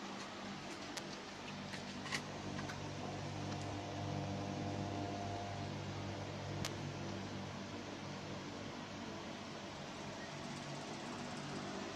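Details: A steady fan-like hum with room noise and a few faint clicks, with no animal voice heard.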